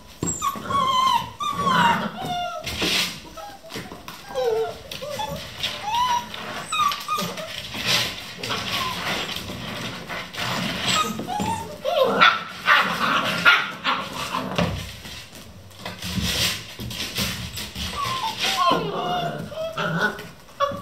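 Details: A litter of eleven Vizsla puppies yips, whimpers and squeals in overlapping bursts without pause while playing at 3 a.m.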